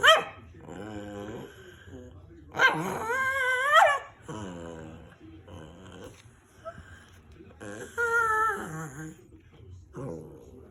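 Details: Rat terrier making funny vocal noises indoors: a run of grumbling, whining sounds that rise and fall in pitch, some drawn out and wavering, broken by short pauses. Human voices may be mixed in.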